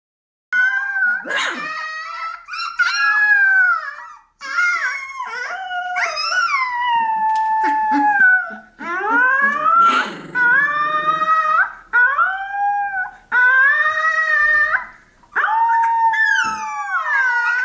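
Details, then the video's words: A 15-day-old Alaskan Malamute puppy howls in high, wavering, sliding cries, repeated in long bursts. "Alaskan Malamute puppy howling, 15 day old"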